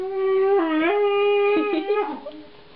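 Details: Diesel, a pet husky, 'talking' indoors in a conversation with his owner about going upstairs: a sustained, tonal, howl-like moan that dips in pitch midway, then breaks into shorter wavering yowls and fades out.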